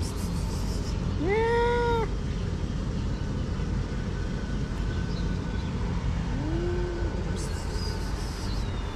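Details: Hungry cats, six gathered inside a garden in Morocco, produce a loud rising-then-level meow early on and a softer arched mew several seconds later, with continuous low rumbling noise throughout.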